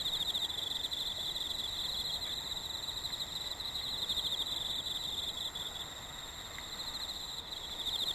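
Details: Autumn insect voices, already active in an exceptionally hot summer: an unbroken high shrill trill with quick regular pulses, dipping slightly in loudness midway, then swelling again.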